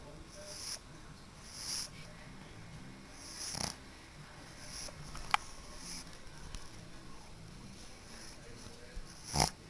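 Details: Loud snoring from Sezen, a pug, irregular wheezy snorts with breathy hiss spaced several seconds apart, one sharp click midway and a stronger snort at the end.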